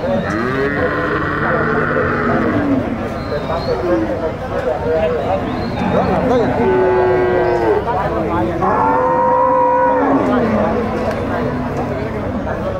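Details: Gyr dairy cows at El Tiangue, El Salvador, in the countryside: long, drawn-out moos from several animals overlap, including steady, strongly tonal calls that hold a level pitch for a second or two, with faint human voices behind.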